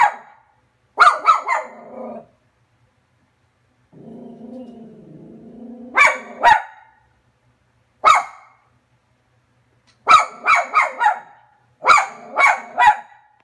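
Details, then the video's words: Cairn terrier named Frankie barking at the TV, 2017: clusters of quick, sharp barks, a low rumbling growl around four seconds, then repeated bursts of three or four rapid barks. "Frankie Barking at TV 2017"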